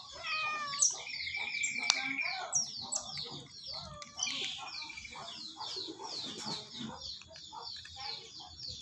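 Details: Otter kept as a pet, chirping at feeding time: dense, shrill descending squeaks in rapid series, overlapping with occasional lower tones and a few sharp clicks.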